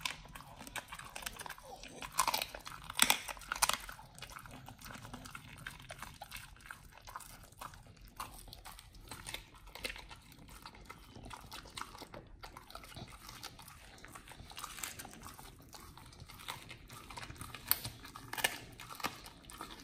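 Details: Nomyen, a Pit Bull on a raw prey-model diet, biting through a raw whole Thai duck for the first time. Rapid, uneven crunching, about a hundred bites a minute, peaks around two to four seconds, then steady grinding.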